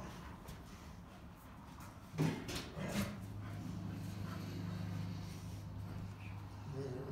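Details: Two Rottweilers growl while playing tug-of-war, a deep, steady growl that rumbles on for several seconds after a sharp bark-like burst.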